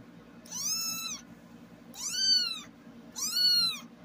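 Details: A found black tabby male kitten gives three clear, high meows, each rising then falling, about a second apart.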